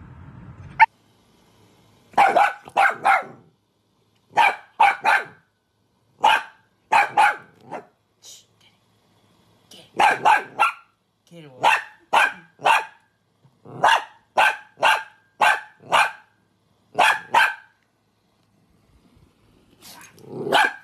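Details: Dachshund barking in quick bursts of two to four sharp, bright barks, each burst separated by roughly a second or two of silence, about ten bursts in a row; a brief murmur of sound at the start.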